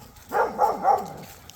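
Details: Boerboel puppy barking in a short burst of three sharp, mid-pitched barks while being urged on, with no other sounds.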